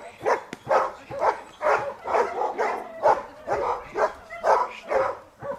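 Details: Dea vom Wasserschloß, a Giant Schnauzer, barks during protection work. Loud, rough barks repeat about twice a second in a steady, driving rhythm, with a faint tonal sound running underneath.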